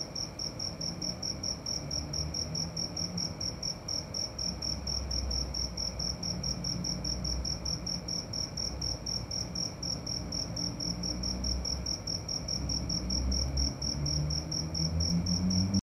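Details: Cricket at night: a fast, steady train of high, bright chirps running without pause, with a soft low hum and some faint low murmuring beneath.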